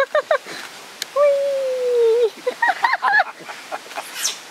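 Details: Captive giant otter family of six at Chestnut Centre, Chapel-en-le-Frith, filmed 25 June 2011, including two cubs born there: quick chirps, then a long steady whine held about a second before dropping, followed by a cluster of rising and falling squeaks.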